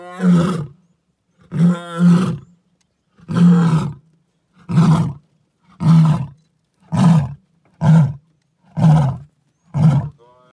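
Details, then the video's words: A lion calls right next to a vehicle in the bush, giving a series of powerful, deep, grunting roars, each shorter than the last, about one per second. "Lion calling"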